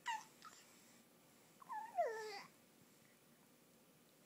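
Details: Pet animal indoors voicing a strange monkey-like sound first heard this week: a short falling squeak, then a wavering series of descending whistled notes lasting under a second, with quiet room background.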